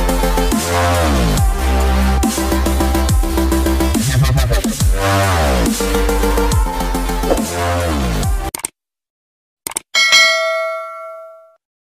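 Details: Heavy electronic dance music with deep wobbling bass fills most of the clip, ending in silence and a ringing chime; no animal sound.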